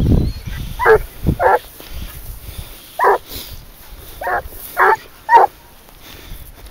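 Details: Hunting dog, 22 months old, trailing wild boar on a leash in Spain, barking in short separate bursts about every half second to a second, with pauses between groups; a man's low voice briefly at the start.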